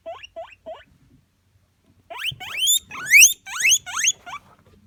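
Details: A guinea pig named Coco gives short squeaks, then loud, shrill, upward-sweeping wheeks in a quick series.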